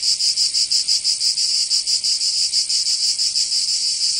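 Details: Chorus of cicadas during summer in Provence, France, with a bright, rasping high whine that pulses quickly, around three beats per second, fading to a more even tone at the close.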